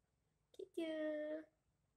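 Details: Pet cat in a small room on a hot summer night, where the household's cats gathered to show the heat: two brief soft chirps, then one steady, drawn-out harmonic meow of about two-thirds of a second, held level before it cuts off into a quiet room.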